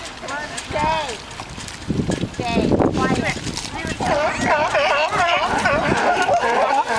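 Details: Sea lions fighting and singing, quieter wavering calls at first, then a loud, packed chorus of rippling harmonic barks and growls from many animals for the rest of the recording.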